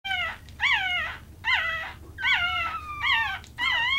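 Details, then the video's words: Purebred applehead Chihuahua puppies, AKC registered, give high, tonal whining cries that rise and then fall. Five drawn-out whimpers come roughly every 0.8 seconds, each with ringing overtones, over a faint low hum. "cute baby chihuahuas making cute noises"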